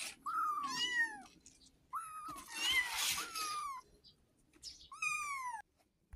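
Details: A kitten calling its mother for milk gives three clear meows about two seconds apart, each starting high and sliding down in a drawn-out, plaintive wail, with a noisier, rougher middle cry and quiet gaps between them.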